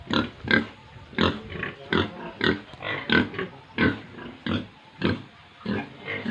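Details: Pigs and piglets at a Tripura pig farm, grunting in a steady pulse of short rough oinks, roughly one and a half per second, several animals overlapping.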